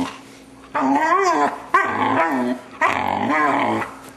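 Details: Young male Vizsla, six months old, making odd vocal noises while his owners play with him indoors. Three wavering, moaning-growly bursts of about one second each, rising and falling in pitch, with short pauses between.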